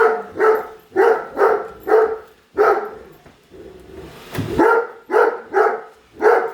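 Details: Padme, a Great Dane, barks at a robot vacuum she hates, trailing it around the house: a run of five heavy barks, a short pause with a scraping bump, then four more in quick succession.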